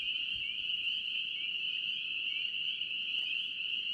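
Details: Steady shrill chorus of many spring peepers in North Carolina, high upslurred peeps merging into a continuous ring, a few distinct rising notes near the middle and a faint low rustle early on.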